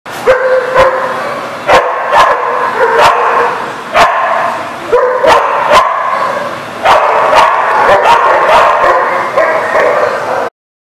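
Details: Dog barking, recorded 16 September 2019: loud harmonic barks and yelps come in quick, nearly unbroken runs for about ten seconds. Sharp knocks or clicks fall between them, and the sound ends in sudden silence.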